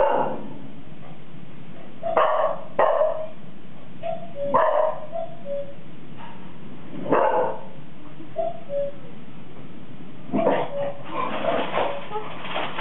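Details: Bonet and Frosty, 4-month-old Golden Retriever puppies, bark enthusiastically at an artificial cuckoo chime: a run of loud sharp barks, some doubled, with brief two-note chime tones in between, ending in a rapid flurry of barking.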